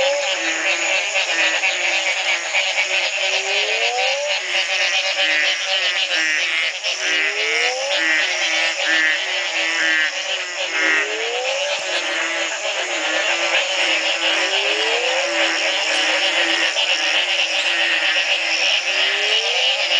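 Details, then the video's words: After the first night of rain ending a three-month dry spell, frogs call en masse at the Community Baboon Sanctuary, Belize, in 2010; a loud, unbroken high chorus with a rising swoop repeating roughly every two and a half seconds. "Frog calls galore"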